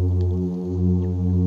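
A plainfin midshipman hums a steady, deep drone, the male's mating song.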